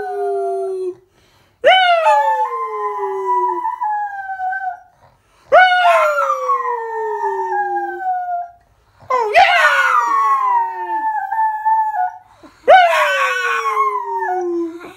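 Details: A mini pocket beagle lying in bed gives a series of long, drawn-out aroo howls that rise sharply then slowly fall.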